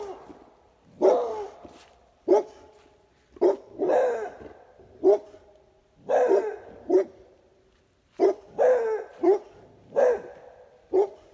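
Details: A Pitbull and a Beagle–Basset Hound mix bark back and forth at an irregular pace, roughly one bark a second: some short and clipped, others stretching into longer, rougher, howl-like barks.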